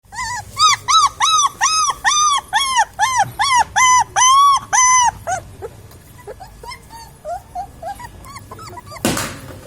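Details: Puppies giving a run of loud, arched, high whining yelps, about two per second for five seconds, then fading into softer scattered squeaks and ending with a short burst of noise.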